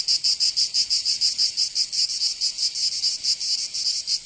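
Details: Summer cicada chorus in Provence, in the south of France. A shrill, metallic buzz beats in quick, even throbs, about four or five per second, over a quiet background.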